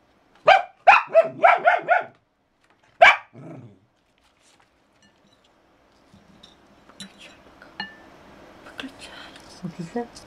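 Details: A dog that is said to dance barks indoors in a quick run of five sharp barks and then one more, followed by a quieter stretch with a person talking and small room noises.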